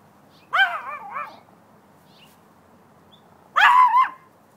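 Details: Bailey, a pet dog on guard in the yard, gives two wavering, yodel-like barks about three seconds apart, each with a rippling pitch that rises and falls, over a quiet background.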